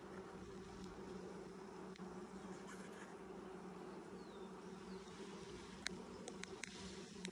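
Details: Continuous low hum of a honey bee colony during a 2020 hive inspection six days after installing nucs; the buzzing drone stays level and unbroken, with scattered light taps and a faint bird whistle.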